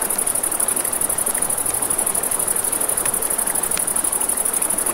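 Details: Night crickets near a river keep up an unbroken shrill, rapidly pulsed trill over the low rush of flowing water, with a few sharp crackles from a campfire.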